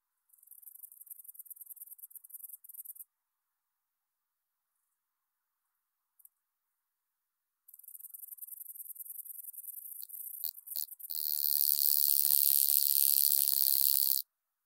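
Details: Stenobothrus rubicundulus, the wing-buzzing toothed grasshopper, at Mala Ucka, Croatia, 26 July 2023: thin, very high ticking stridulation in short bursts with silent gaps, then a louder, harsher buzzing phrase lasting about three seconds that stops abruptly.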